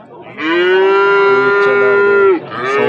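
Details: Cattle at the Xitoy livestock market in Amudaryo district on market day: one long, steady moo of about two seconds, holding an even low tone with rich overtones before breaking off abruptly, over faint background bustle.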